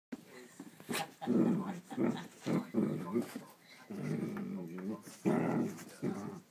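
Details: A Miniature Dachshund playing by the fire on a weekend in Wexford gives a run of low, rumbling growls and grumbles in short bursts.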